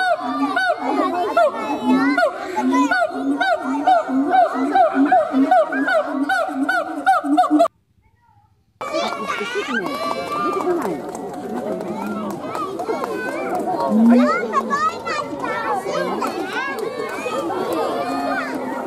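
A siamang gives loud, rapidly repeated hooting barks, followed by a crowd chattering over further calls.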